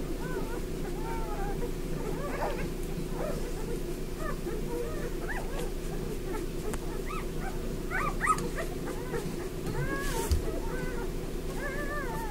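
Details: Eleven Bernese Mountain Dog puppies, five days old, at lunchtime: frequent high arched whimpers and squeals, often several in quick succession, rising toward the end, above a continuous low rustling hum from the crowded litter.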